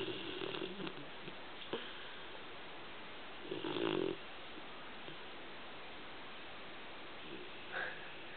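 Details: Pet dog named Pilgrim snoozing on the sofa indoors, snoring: faint breathy rasps at the start, then one loud, harsh snort midway, with a short squeaky note near the end over steady room hiss.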